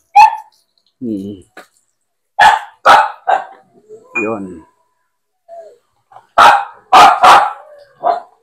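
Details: Aspin, a Filipino native dog, during bath time, with Max and Poly named. Sharp, noisy barks come in spaced bursts and clustered doublets, with a person talking in Filipino between them.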